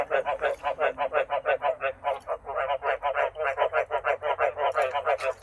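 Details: A crowded cage of frogs awaiting breeding, held back by a shortage of water, keeps up loud rhythmic croaking; bright, rasping pulses come roughly three each second, a short lull mid-way.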